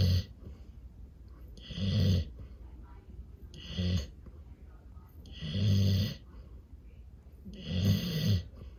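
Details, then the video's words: A fluffy Golden Retriever asleep under a table, head against the table leg and a pillow, snores deeply and loud as a chainsaw, each rumbling, raspy breath returning roughly every two seconds. "Fluffy Golden Retriever Snoring Against Table Leg / Pillow"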